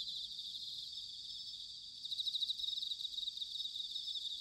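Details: Bell cricket song recorded in autumn at Sanuki, Chiba, Japan: a steady high insect ringing that turns into a louder run of quick pulsed chirps about halfway through.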